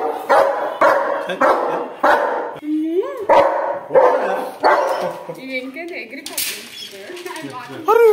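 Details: A German Shepherd Dog barking in a rapid series of loud, harsh barks, roughly one every second and a half, followed by rising whines and yelps toward the end.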